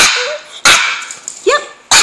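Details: A 9-year-old female Pekingese gives sharp, harsh yips broken by a short rising whine, her excited "cry" when asked whether she wants to go for a ride.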